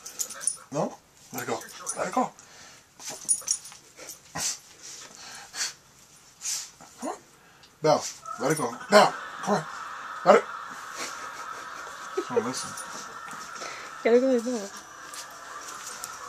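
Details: Half dachshund, half chihuahua dog, obsessed with her toy, digging at a shirt where it is hidden; short wavering, whiny harmonic whimpers come in bursts between scratching and rustling, with a person's voice and a steady hum late on.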